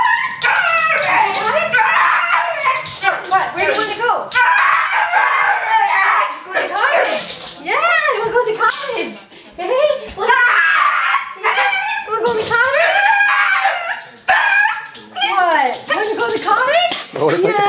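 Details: A 4-year-old male Border Terrier–Boston Terrier cross howls excitedly in wavering, yodelling rises and falls after being told he's going to the cottage, while a person talks over it.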